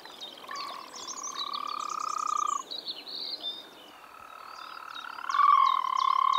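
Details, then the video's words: Frog in the Czech Republic in spring giving two drawn-out buzzy pulsed trills, the second louder and rising in volume, while birds chirp and whistle busily above. "European frog calls"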